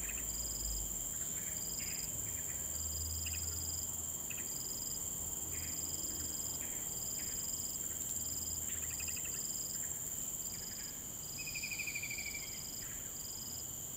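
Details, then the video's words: Crickets keep up a steady high trill with repeated chirps in Sireh Park in the late morning, while occasional bird notes break in over a constant background hum. "Sound of Birds and Crickets"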